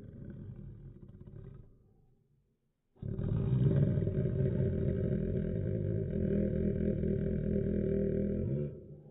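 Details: Labrador Retriever named Tommy barking angrily, filmed in slow motion: a long, deep, drawn-out roaring bark stretched by the slowed playback, steady for about five seconds after a brief earlier growl and a pause.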